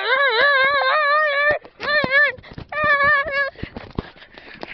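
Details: Newfoundland dog playfully mouthing its owner, giving drawn-out, wavering whining moans in three long stretches, each breaking off abruptly, followed by softer grumbles and scuffling.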